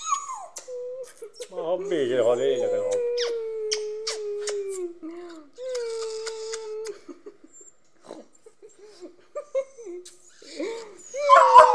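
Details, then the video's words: Jealous Fox Terrier whining in a long, sustained, slightly wavering tone that slides gently downward, broken by short yelps and a few brief higher squeals, with a person talking and some background music. "Fox Terrier gets jealous means trouble!!"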